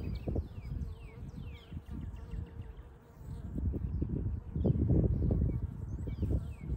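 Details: Western honey bees (Apis mellifera) buzzing around an overwintered hive warming in the sun in early spring, Ohio; a low droning hum swelling and fading as foragers fly past, returning with maple nectar and pollen.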